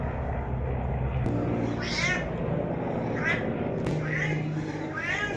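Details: Cat mewing in short, rising-falling cries, about four meows spaced roughly a second apart, over a constant loud low hum and background noise with a couple of sharp clicks.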